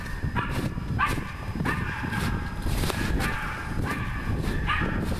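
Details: Working a wild boar, the dog Nora barks repeatedly, short ringing barks coming roughly every half second to second over a low rumbling background.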